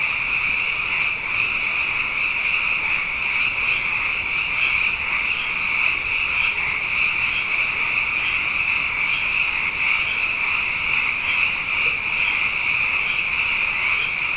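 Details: Frogs, plentiful after two wet years, fill the night with a sound bath: a thick, sustained high trilling chorus of countless overlapping callers, slight swells in intensity but no pauses.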